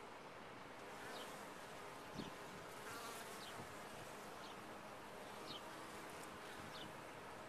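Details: Steady droning of many honey bees in a top-bar hive, a continuous low hum with brighter buzzy overtones, one soft knock just after two seconds and faint high ticks here and there.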